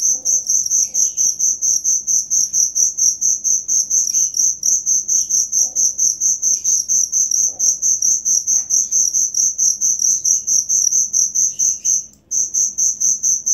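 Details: Cricket singing a shrill, pulsing chirp about twice a second, nearly unbroken apart from a short gap near the end, meant as tutor sound for songbirds; faint scattered bird notes behind.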